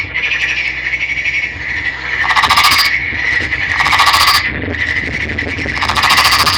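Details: Green Nagoya Daruma pond frog, a male caught from a river and kept captive, calling steadily with a continuous creaking drone broken by three loud, harsh rattling bursts.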